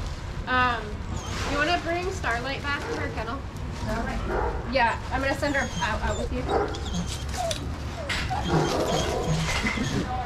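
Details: Dogs playing together in a shelter yard at Pima Animal Care Center, Arizona, watched by handlers; a run of sharp, pitched barks and yips from several dogs, some whimpering, with a person's voice talking over the din.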